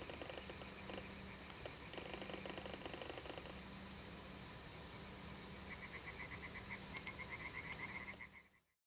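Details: Balkan spadefoot (Pelobates balcanicus balcanicus), rare Greek amphibian: rapid trains of dry clicking pulses early on, then a high buzzy trill from another caller near the end, over steady background hum and whine.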